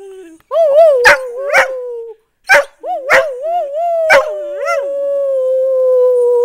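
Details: Dogs Blue and Bettina rooing in response to their mother: sustained wavering howls around mid pitch with rich overtones, two voices overlapping, punctuated by sharp yips and barks.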